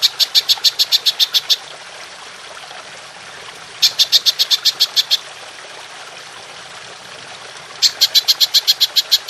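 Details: Golden grasshopper, recording made for training songbirds: bursts of rapid, evenly pulsed high-pitched chirps, about eleven pulses each, repeated every four seconds with quiet gaps between.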